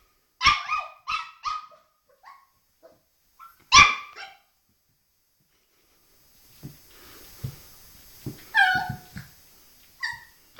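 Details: A puppy plays at a mirror and gives sharp, high yaps in a quick cluster, a louder single bark, then fainter yelps over a soft background hiss in a small room.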